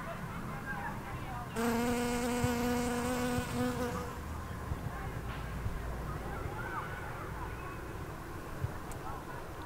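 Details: A remarkably loud bee, louder than the ordinary bees nearby, filmed 10 September 2020. Its low, rich buzz swells in suddenly, holds steady for about two and a half seconds, then cuts off into quiet outdoor background.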